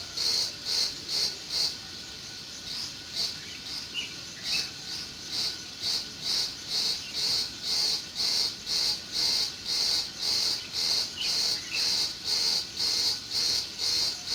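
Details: Meadow crickets on a June day keep up a shrill, regular chirp about two pulses each second. The rhythm breaks briefly early on, and soft distant bird chirps slip in around the middle.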